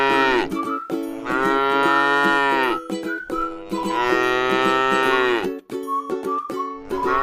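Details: A tame, resting cow in a beautiful rice field gives two long, rich moos with the start of a third, while soft plucked-string music plays throughout.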